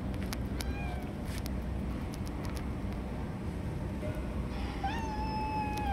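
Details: Stray cats fighting for food, snatching it from each other: a faint short meow early, then a drawn-out wavering meow at the end, against constant low rumbling background noise and scattered clicks.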